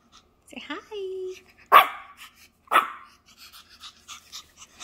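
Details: Small male Shih Tzu dog giving two sharp, short barks about a second apart, after a brief voiced whine, while a person coaxes it to say hi; a soft ticking sound runs in the background.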